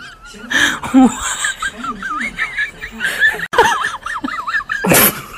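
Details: Guinea pigs calling in response to a crinkling bag: high, wavering squeals that rise and fall in rapid repeated loops, with human laughter and chuckling throughout and a loud burst of noise near the end.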